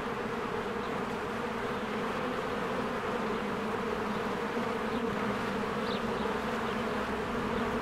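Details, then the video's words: Honeybees working at a beehive in spring, flying in and out; a thick, constant buzzing murmur with a brief high bird chirp near the end. "1 Hour of a Beehive ASMR"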